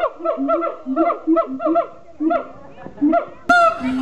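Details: Siamangs at Honolulu Zoo in 2012 give loud, honking barks in a rapid, uneven series while people nearby exclaim in surprise.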